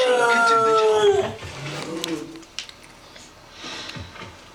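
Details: Fred, a household dog, howling at the elephant in a kitchen towel advert. A clear drawn-out howl sinks in pitch and fades after about a second, leaving a quiet room with faint TV sound.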